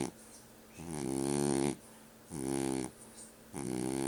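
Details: Snoring French Bulldog in a quiet room: three harsh, vibrating inhalations of under a second each, low and droning with a slight wavering pitch, spaced by brief near-silent gaps.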